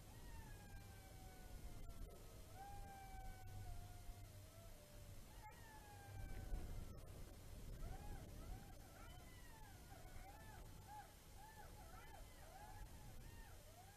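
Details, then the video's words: Jackals howling in Kulgur, Estonia, on 6 March 2018 at 21:27: several distant voices in long, slowly falling wails that break into wavering, yipping up-and-down cries, overlapping in chorus above low rumbling background. "howling Jackals"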